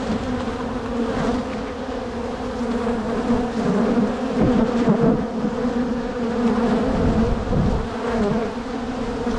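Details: Crowded spring colony of honey bees buzzing as their hive is divided before it can swarm; a continuous low, humming drone with a firm overtone, swelling and easing slightly as frames are moved.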